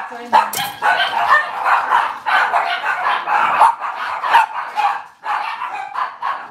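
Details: Cavalier King Charles Spaniel indoors in a kitchen on a cloudy Monday morning, puppies and adult dogs present; a steady run of dense, high yapping barks and yips packed closely together with hardly a pause, one sharp squeal near the start.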